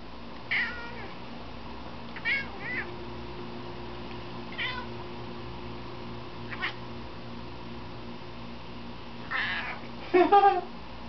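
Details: Pet cat Squish barking at a pigeon on a balcony: short, chirpy, harmonic bursts, about seven spread unevenly over eleven seconds, the last ones doubled and louder, over a steady low hum.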